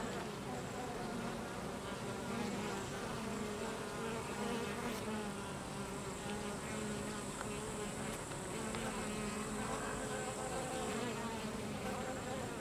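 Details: Drone expulsion at a Carniolan honey bee hive: a long, steady chorus of buzzing workers and drones, with layered humming tones wavering in pitch and occasional louder passing buzzes.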